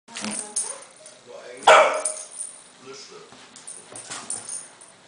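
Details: A Cairn Terrier playing wildly with a balloon gives one sharp, high bark amid rustling and faint human voices.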